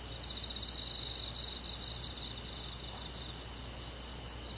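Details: Summer-night cricket in the countryside forest: one bright, rapidly pulsed trill lasting about two seconds, then a quieter steady insect drone with low background hum.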